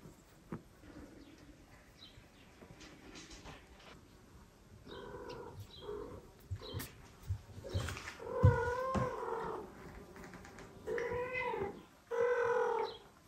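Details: Mother cat, part of a family of domestic cats, meows repeatedly to the father cat while carrying her kitten to him; several tonal meows in the second half, the last long and steady, amid rustling and soft thumps.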